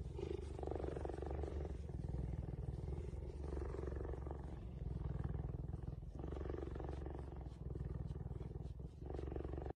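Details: A cheetah being petted purrs steadily, a deep rumbling vibration that swells and fades with each breath.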